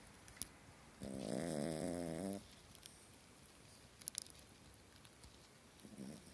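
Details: A small dog snores in its sleep during a bad dream, one strong rasping, vibrating snore of over a second, then a faint short snort near the end amid a quiet background.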